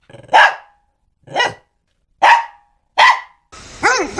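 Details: Four loud, harsh barks from a dog about two-thirds of a second apart, ending in a rising-and-falling whining cry.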